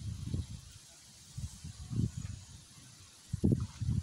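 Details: Wild boars with piglets at a watering place by a river give low, rough grunts in short irregular bursts against a soft outdoor hiss.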